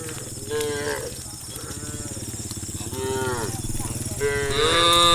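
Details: Several tame cows in a herd moving along a road into a field low in overlapping, short moos, some rising and falling, against a rhythmic low rumble that may be hooves on gravel.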